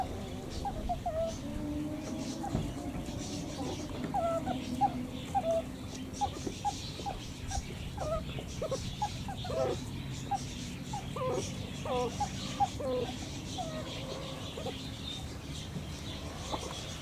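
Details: Meerkats chattering in dense, irregular bursts of brief high peeps and squeaks. The calls run over a low background rumble with what sounds like faint murmuring voices.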